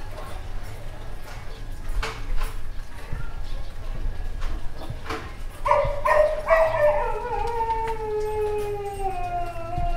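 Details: Street dog with scattered faint sounds early on, then a drawn-out wavering howl from about the sixth second, its tone sliding slowly downward and fading over several seconds, with a steady low rumble underneath.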